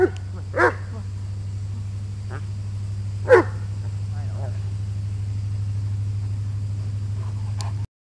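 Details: Dog at play, wrestling with its owner: two short, loud barks about three seconds apart, then quieter rustling and a faint final yip, over a constant low hum with brief human speech.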